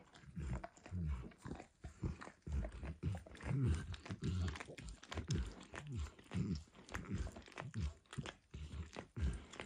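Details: Close-miked dog Max licking egg and peanut oil from an orange lick mat, seeming to enjoy it; continuous rhythmic slurps and moist tongue smacks, low and bubbly, without talking.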